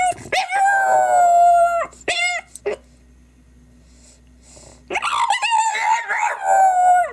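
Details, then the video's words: French bulldog crying in long, sustained, wavering whines, a couple of short yelps, a quiet pause of about two seconds, then another drawn-out warbling cry. "French Bulldog Crying!"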